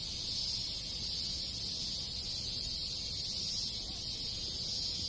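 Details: Many cicadas and other insects in a rural Japanese village in summer make a steady, shrill drone, high and unbroken, with a faint low rumble underneath.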